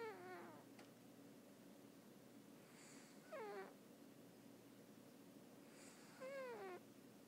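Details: A domestic cat snoring in deep sleep indoors: three short, whistly, downward-sliding squeaks about three seconds apart, with quiet breathing between them over a steady low hum.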